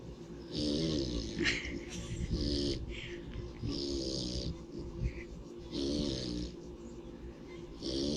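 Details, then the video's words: A pig asleep in the sunshine gives loud, rhythmic snores, five rough, buzzing inhalations roughly every two seconds, each ending in a hissy exhale, with steady low background rumble. "Pig Snores for 4 Minutes"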